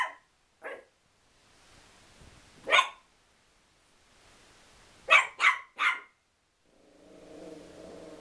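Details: Pet Chihuahua angry at a towel, giving scattered shrill barks, a few single yaps and then a quick run of three, closing with a low, drawn-out growl.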